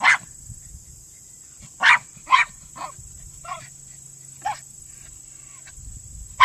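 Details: Male Miniature Pinscher underground on a Senior Earthdog test, giving a few scattered sharp barks separated by pauses of up to four seconds, some muffled and weaker; a constant high electronic whine sits behind.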